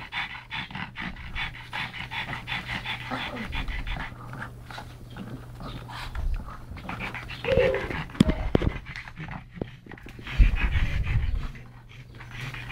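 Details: Rescued pug brothers Yogi and Mister from Malta's SPCA mid-wrestle: rapid, uneven panting with snorty grunts and a few louder thumps or scuffles partway through.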